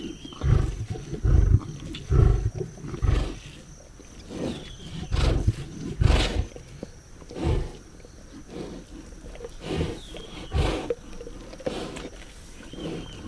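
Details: Lions at a zebra carcass give repeated heavy, low growling roars roughly every second or two, strongest in the first half, then quieter rumbles, with a faint continuous high whine behind.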